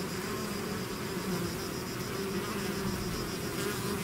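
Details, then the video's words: Bees swarming from a hive fill the air with an unbroken, dense buzzing hum, steady in pitch and loudness, many wings blending into one even drone. "bees therapy swarm natural buzzing sound"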